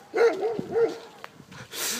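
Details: Nelson, a six-month-old Bernese Mountain Dog frightened by another dog, gives three quick mid-pitched barks in the first second, followed by quieter shuffling and a burst of hiss-like noise.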